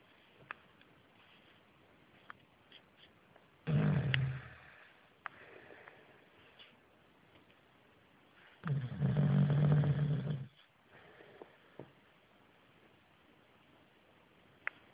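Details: English Bulldog Bruno snoring, building from quieter to louder: two long, heavy, low rattling snores about five seconds apart, separated by soft breathing and small clicks.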